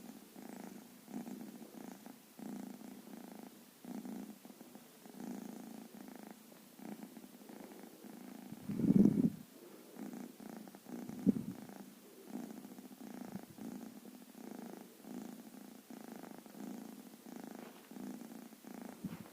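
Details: Black-and-white baby cat sleeping soundly on a blanket and not stirring when disturbed; a continuous low rhythmic snore with two louder bumps of handling noise partway through.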